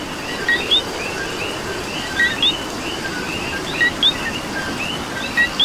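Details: Close coqui in Puerto Rican rain repeating its two-note call, low short co then rising high kee, about every 1.7 seconds, while a busy chorus of more distant coquis and the wash of rain fill the background.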